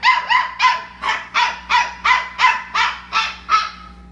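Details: Bedtime crying from a Labradoodle puppy: a steady series of loud, bright yelping whines, roughly one every half second, each short and falling in pitch, over a low constant hum.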